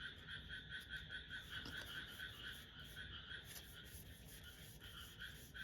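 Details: Frogs calling loudly outside an open window in Japan; dense pulsed chorus of rapid repeated croaks, about two per second, steady throughout.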